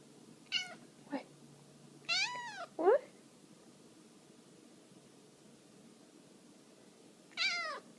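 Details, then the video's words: Bengal kitten, 13 weeks old, showing affection indoors: a handful of short, arched, harmonic meows, the longest rising then falling near the two-second mark, another rising mew at the end, with quiet gaps between. "Bengal kitten showing affection"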